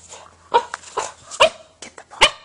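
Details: A Boston Terrier hesitates to grab its ball from a cat and lets out a few sharp, high yips spaced about half a second apart, with a person's coaxing voice around them.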